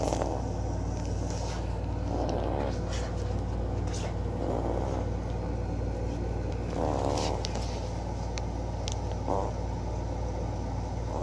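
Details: Klawei, a small dog, snoring loudly: rough, breathy snores recurring roughly every two seconds, set against a constant low engine-like hum.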